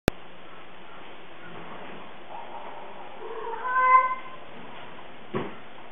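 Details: Moo (named Miracle), a blind cat and sister of Tulip the Blind Cat, meowing loudly during play indoors; one drawn-out harmonic meow swells and fades after a quiet start, followed by a soft thump near the end.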